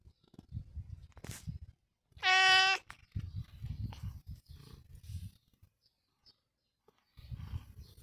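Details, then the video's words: A single bright, strong meow from Long John Whiskers, a domestic cat, lasting under a second amid soft low thumps and handling noise. "Long John Whiskers Is A Meowy Lad"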